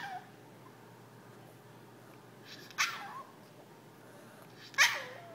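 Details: Jack, a Yorkshire terrier indoors begging his owners to play, gives two short sharp yips about two seconds apart, each with a brief tonal whine trailing after it, in a quiet room.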